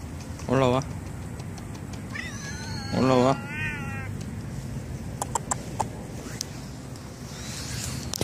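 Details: Stray cats living at a library, which come running when called by name: a person's low called voice twice, then a higher, wavering meow rising and falling, followed by faint clicks and rustling.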